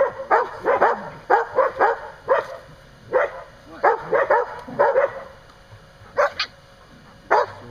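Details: A dog roughhousing with another dog outside a pen that holds a mother and her six-week-old pups gives a rapid run of short, punchy barks, several in close pairs, thinning out toward the end.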